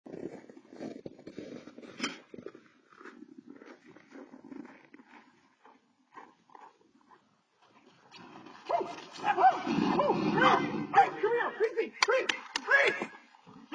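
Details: Dachshund in Alaska defending its owner from a moose: soft, scattered grumbles and low rumbling through the first seconds, then from about eight seconds a loud burst of harsh, raspy growling and barking mixed with sharp clicks and rustles.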